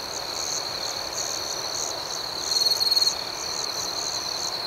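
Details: Crickets chirping at night: rhythmic high pulses about four per second over a constant shrill tone, with one louder, stuttering trilled burst near the end.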